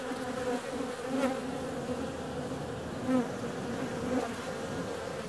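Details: On a mild February day a honey bee is out and flying, its wingbeats giving a steady droning buzz with short louder pulses about once a second, soft rumble underneath.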